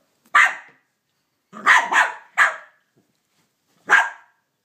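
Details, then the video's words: Cavalier King Charles Spaniel named Banjo protesting at Minnie Mouse over his stolen bone. One sharp bark, a pause, a rapid double bark and a third bark, then a last bark after another gap. Clear and dry, with nothing else heard. "Banjo the King Charles Cavalier Barks at Minnie Mouse"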